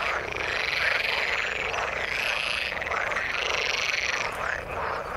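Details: Frogs in the water, with rapid pulsed trills rising and falling in waves of a couple of seconds over a steady background of many overlapping croaks.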